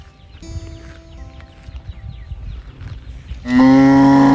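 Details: A young calf searching for its mother gives a sudden loud bellowing moo near the end, rich and sustained. It follows a quiet stretch of faint bird chirps and low rustling.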